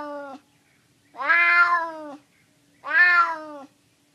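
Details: A stray male cat in San Francisco, hungry and begging for food, gives two drawn-out, strained meows with rich harmonics, each close to a second long, the end of an earlier meow opening the clip.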